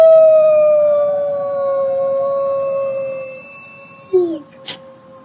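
A gray wolf gives a long, steady howl that slowly falls in pitch.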